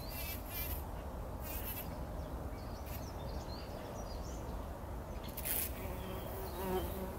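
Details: Early-morning bumblebees rolling in a poppy flower before sunrise, 2019. A low drone runs throughout with short scratchy bursts of buzzing at the start and near the end. Distant small birds call faintly.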